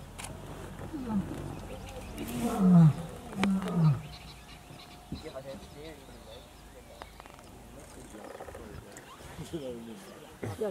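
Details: Lions of rival coalitions, a Northern Avoca male, Gowrie males and the Kambula pride, feeding together on a buffalo carcass at MalaMala Game Reserve; loud deep descending roars and grunts in a rapid series, with people talking and birds chirping.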